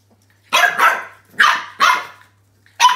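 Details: French Bulldog puppy named Roscoe, unsure about a new toy, gives four sharp, harsh barks in quick succession, the first two nearly joined, then a short pause before a fifth bark; a faint steady hum runs underneath.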